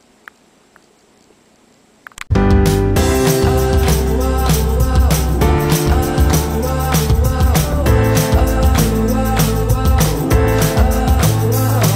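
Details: Near silence gives way after two seconds to loud, bass-heavy music with a strong beat, and no cat sounds are heard.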